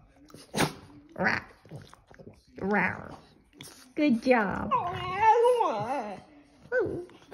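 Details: A Boston Terrier wakes from sleep and "sings" along to music, yodelling in wavering, rising and falling howls, with a person praising him between bursts.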